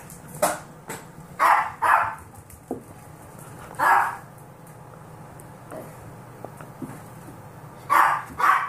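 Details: Ten-week-old Golden Retriever mix foster puppies in a stampede give short, bright yipping barks in scattered bursts, sometimes two close together.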